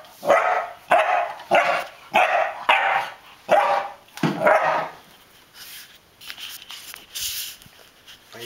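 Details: An 11-week-old English Springer Spaniel puppy, fearlessly dominating an alligator-head souvenir, barks in a quick string of sharp, hoarse woofs, then faint voices follow.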